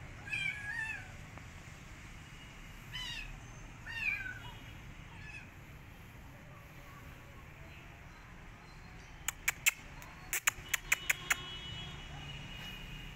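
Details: Rescued street kitten that will not eat and wants back outdoors: a few short, high meows in the first seconds, then a run of sharp tapping clicks over a low, steady rumble.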